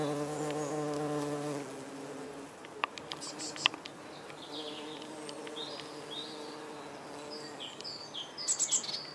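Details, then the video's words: Red-tailed bumblebee, Bombus lapidarius, in flight while feeding on nectar and gathering pollen at yellow Berberis darwinii flowers; a low, steady humming buzz for about a second and a half, then fading, followed by scattered bird chirps and twittering. "Red tailed Bumblebee in flight"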